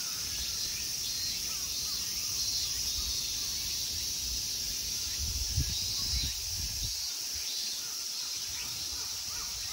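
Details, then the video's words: High, steady shrilling of summer insects at Honmonji temple park, Ikegami, Tokyo, Japan, runs throughout, with faint scattered chirps, occasional low knocks and a background rumble. "Summer insect sounds."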